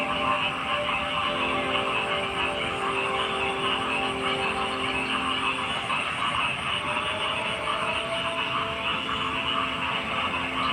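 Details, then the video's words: Frogs calling in a dense, steady chorus: overlapping croaks and trills fill the mid and upper range without pause, with faint constant tonal hums running underneath. "Frog Sounds"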